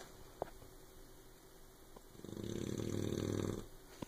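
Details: A puppy called Oberon snores in its sleep, one loud, low, rasping snore of about a second and a half that swells and then cuts off, with a soft room hush and faint ticks around it.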